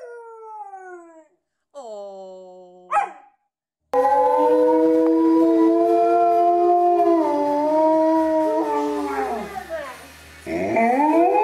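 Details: Alaskan Malamute in a funny home compilation: a few short whining cries slide downward, then a long sustained wavering howl bends lower near its end before a fresh rising howl breaks in.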